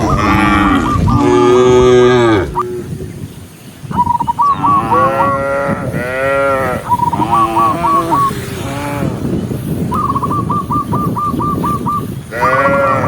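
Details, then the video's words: Daytime countryside, tens of thousands of tame cows moving as one herd: deep drawn-out moos, one very low and groaning, others higher and wavering, interleaved with runs of quick repeated piping notes. "cow sound cow Moo"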